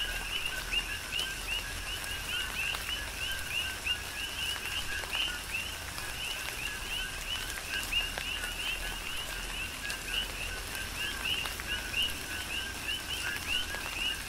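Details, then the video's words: Coqui frogs chorus during a tropical rain shower on the Big Island of Hawaii: many overlapping two-note chirps, a lower note then a higher upswept one, repeating densely throughout, with steady rain hiss and scattered raindrop ticks. "Tropical Rain & Coqui"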